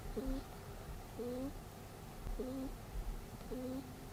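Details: Snoring from Peter, a pet rabbit asleep indoors. Four short, squeaky, rising whistles come roughly once a second, each a thin nasal whine with a faint lower tone beneath, against a quiet background.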